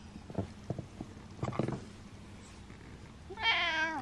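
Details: Male domestic cat meowing for attention, one drawn-out harmonic meow at the end after a few soft knocks and rustles.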